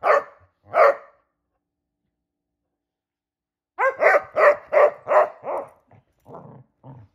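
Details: Basset Hounds Shelby and Roxy barking while they play hide and seek indoors: two short barks, a pause, then a quick run of about six loud, rough barks fading into softer huffs.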